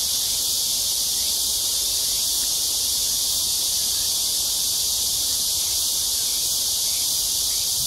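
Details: Cicada chorus heard on an evening walk, 6 to 7 PM, in Seoul's Amsa Ecological Park by the Han River, South Korea, July 26, 2021; an intense, constant high whirring buzz, level and unchanging across the clip.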